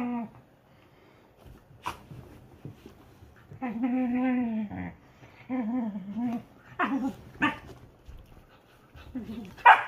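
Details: Whippet at play alongside a silken windhound friend: long moaning, harmonic growl-whines of about a second each, repeated several times, broken by short sharp barks near the end.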